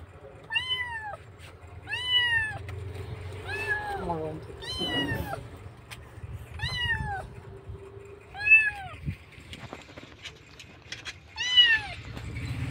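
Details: Rescued kitten in Indonesia crying hard, missing its mother: a series of seven sharp arched meows spaced about every two seconds, with voices, traffic rumble and low background hum.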